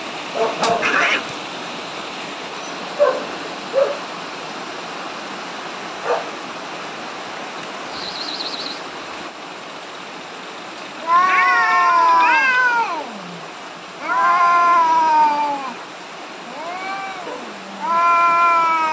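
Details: Two angry cats on the verge of a big fight before being separated; scattered knocks and clicks give way to long, wavering, harmonic yowls in three loud bouts, each rising then sagging in pitch.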